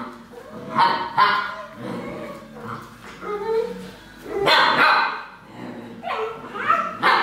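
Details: An Alaskan Malamute, recorded 30 November 2013, gives a run of loud, wavering barks and woo-like yowls with pitch bends.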